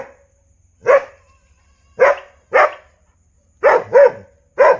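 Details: A dog gives six sharp barks, spaced irregularly with a close double bark near the end, clean and loud against silence.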